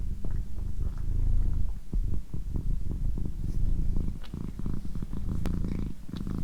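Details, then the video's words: A pet female cat purring steadily, a deep continuous low rumble with soft pulsing, broken by scattered clicks and light rustling sounds. "Cat Purring"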